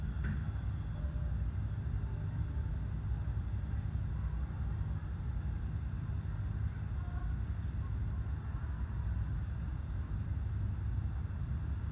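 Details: Steady low rumble and hiss throughout, with no animal sounds.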